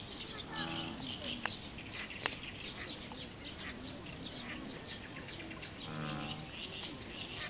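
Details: American bullfrog (Lithobates catesbeianus) gives two deep, cow-like, droning calls, each under a second and several seconds apart, beneath a steady wash of high bird chirping.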